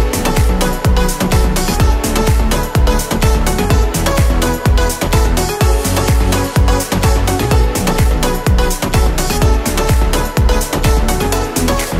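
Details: Loud electronic dance music with a driving steady beat and synth layers throughout, no animal voice.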